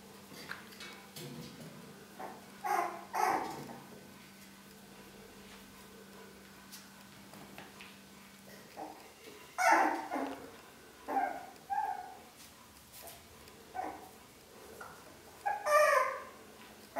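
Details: Puppies of the Long-haired Dachshund, aged four weeks, producing faint squeaks at first, then a livelier stretch of short high yaps and squeals spaced a second or two apart.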